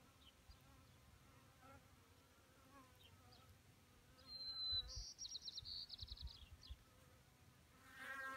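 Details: A faint, wavering hum of honeybees drinking at a small pond in May 2018, the insects standing on rocks and dirt. A loud, bright bird trill dominates the middle, and a rushing burst of noise ends it.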